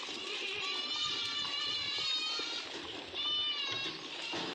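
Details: Osmanabadi goats at a goat farm in Karjat, Ahmednagar, India, giving long, nasal, harmonic bleats. One call is drawn out for about two seconds and a second follows after a short break, with faint background chatter and bird notes.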